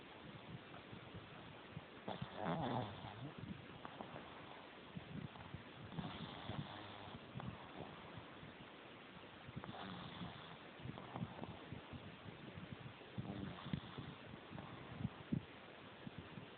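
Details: Jemma, a female pug, sleeps with her tongue out and eyes open, snoring softly: rough, breathy bursts come roughly every three to four seconds against a quiet, low rumbling background.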